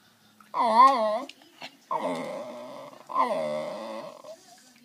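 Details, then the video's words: West Highland White Terrier, male, indoors, asking for his treat with three drawn-out, wavering, talking-like whines and moans, each about a second long, separated by short pauses. "Talking Westie asking for his treat."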